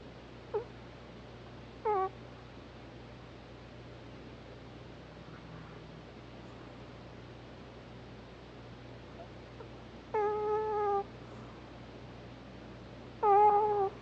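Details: Hana the Pomeranian snores while asleep, giving sparse squeaky nasal whines. There are two faint short ones early, then two louder, steadier tonal squeaks about three seconds apart near the end. Soft background hum throughout.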